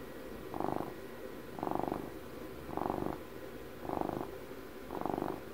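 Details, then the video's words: Close recording of a twelve-year-old house cat purring; five evenly spaced rumbling pulses, roughly one per second, rising and fading gently over a quiet low background hum. "ASMR CAT PURRS"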